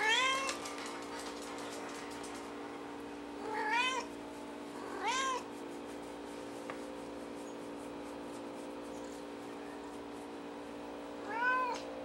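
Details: Indoors, a domestic cat with a white face meows four times at uneven gaps, each meow an arched, nasal wail. A constant electrical hum runs throughout.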